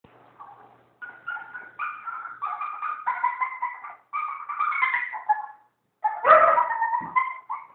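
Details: A Maltese at a dog groomer makes a weird, monkey-like sound instead of whining: high, wavering whines and yodel-like moans, with one sharp yelp near the end.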